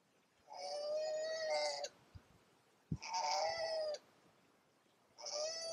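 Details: Male and female koala fighting during the brutal mating season: three drawn-out, wailing, strongly harmonic cries, each lasting one to one and a half seconds and held at a steady pitch, with a couple of sharp knocks between them.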